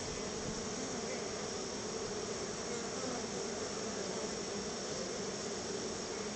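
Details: Many honey bees come to their hive entrance as they are given a treat of store-bought honey; an unbroken low humming drone of the swarm sits beneath strong broadband hiss, with no clear other sounds.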